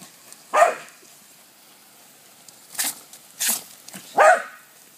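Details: Cody, a water-loving dog tackling a hose, lets out a sharp bark, then two hissing noise bursts like splashes, followed by another loud, slightly drawn-out bark near the end.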